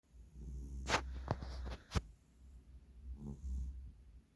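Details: Gyeongnam, a three-year-old male giant pet cat, snoring while asleep: a low rumbling drone with soft rhythmic breaths, broken by three sharp clicks in the first two seconds.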